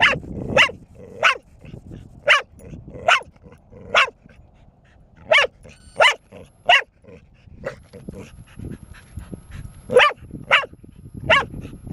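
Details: Persistent barking from Bear, a four-year-old female pet dog, provoked by being taunted with an object; around eighteen crisp barks in twelve seconds, irregularly spaced, some in close pairs.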